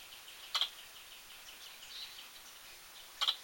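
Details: Squirrel giving two sharp, high-pitched hiccup notes about 2.7 seconds apart, each a brief clicky burst, over soft background birdsong and faint chirping.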